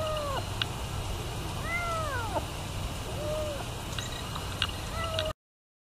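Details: Hungry feral kitten, brought by its feral mother to be fed, utters clear rising-then-falling meows, about five in a row, some long and bending, with light clicks and a soft low hum behind.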